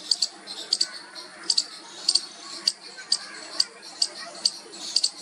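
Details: A baby squirrel trying its first call to its mother gives thin, high squeaks, often paired, repeated about twice a second.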